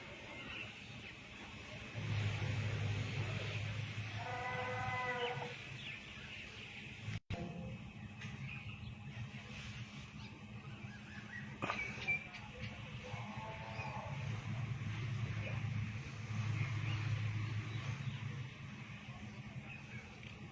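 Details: A big Bangladeshi "tiger" bull on a cattle farm gives deep, drawn-out moos over a steady low rumble of engines and farmyard noise.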